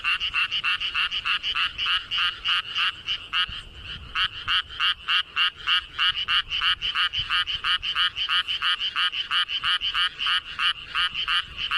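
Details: Close frog in a flooded paddy field, calling with its throat inflated enormously: a long, fast series of harsh, pulsed croaks, roughly three each second, steady and loud, with a faint chorus behind.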